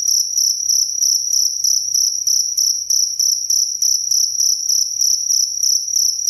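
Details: A clear cricket sound prepared for sleep and for teaching songbirds: a shrill, high-pitched chirp pulsed steadily about three times a second, unbroken across the whole stretch, over very faint low background noise.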